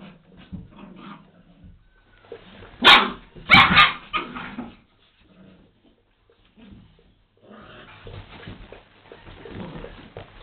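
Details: Dobermann dogs fighting fiercely: two loud, harsh barks burst out near the middle, followed by snarling, while quieter growls, scuffling and shuffling noises fill the gaps before and after.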